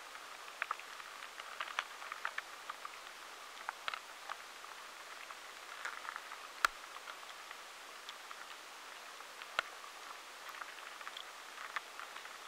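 Faint, irregular ticking and crackling from a drugstore beetle moving through stored food.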